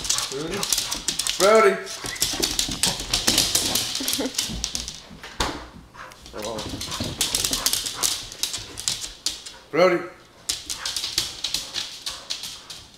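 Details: Sussex Spaniel excited by a light on the ceiling, with two strong harmonic bark bursts near the start and again after about ten seconds. Human talking and background music run throughout.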